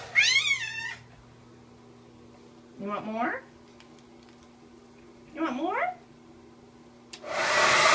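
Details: A Siamese cat, a rescue who loved being blow-dried in winter, gives a high wavering yowl, then two rising meows, before a hair dryer roars on; Siamese cat.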